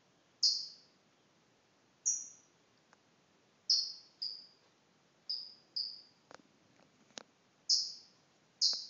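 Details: A pet chipmunk gives sharp, very high, canary-like chirps that drop slightly in pitch, repeated unevenly about once a second, with a few faint clicks between them.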